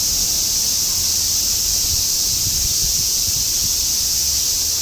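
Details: Semi-shigure chorus of cicadas in Shinjuku, Tokyo, 2016: a continuous, uniform high buzzing sheet of sound, accompanied by a deeper flickering rumble of city noise in the background.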